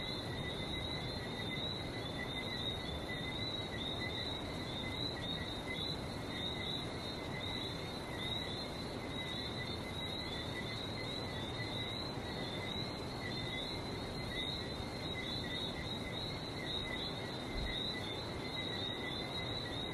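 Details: Frogs recorded on a trip to Barbados: a dense, unbroken chorus of many high, chirping notes layered at two pitches, over a steady broad roar like sea surf, throughout.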